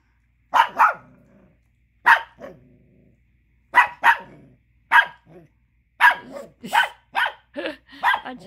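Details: Angry Chihuahua pup wanting the tiny bone another dog is chewing: a steady run of sharp, high barks, often doubled, with growly trailing tails, quickening toward the end.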